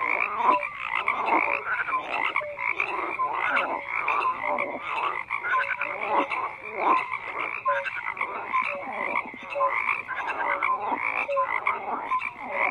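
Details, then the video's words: Dense chorus of frogs croaking, many overlapping callers with short repeated croaks and brief whistled notes forming a continuous, pulsing wall of sound without pause. "FROGS CROAKING"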